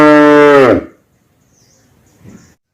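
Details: A calf gives one loud, steady moo that drops and fades after under a second, followed by near silence with faint rustling.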